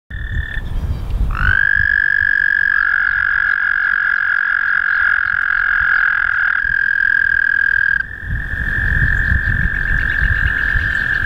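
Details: A male American toad (Anaxyrus americanus) sings a long, steady, musical trill over rippling water. The ripples around him start and stop with his song.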